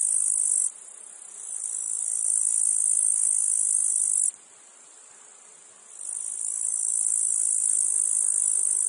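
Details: Meadow-field cicadas with flies nearby: a shrill, high continuous buzz that stops suddenly around mid-clip. After a quiet low hum it ramps back up slowly to a steady loud drone.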